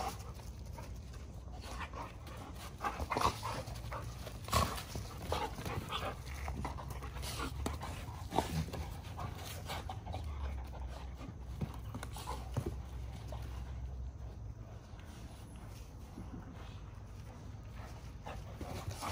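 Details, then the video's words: Several Giant Schnauzers wrestling and tussling in rough play; steady rhythmic panting and scuffling, with occasional louder thumps and short vocal bursts, against a constant low-pitched background rumble. "Watch What Happens When These Giant Schnauzers Play Rough!"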